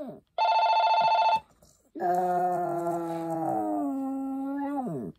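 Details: One burst of pulsing electronic ringing is answered by a Maltese, Poppy, with a drawn-out, level howl lasting about three seconds before tailing downward.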